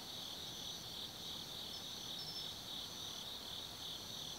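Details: Autumn insects singing at night in the Tsukimi no Mori forest, Kaizu, Gifu Prefecture, Japan, from a lookout 180 m above the Nobi Plain: a steady high trilling chorus with overlapping pulsed chirps, no other sounds standing out.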